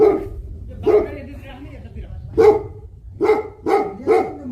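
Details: Tibetan Mastiff (Bhote Kukur) guarding livestock in Nepal. Heavy, resonant barks with pauses: two spaced woofs, a gap, then a quick run of three.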